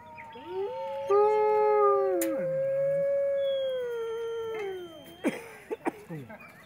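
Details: Kailani, the Main Pack's female lead singer at Wolf Park, opens Howl Night on April 10, 2010 while Amanda yip howls encouragement. Long, steady, harmonic-rich howl rises then holds level, with a second overlapping voice. Sharp clicks near the end.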